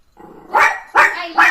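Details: Pet puppy yapping during morning playtime with its owner: three short, sharp, bright barks spaced about half a second apart, preceded by a low, soft growly rumble.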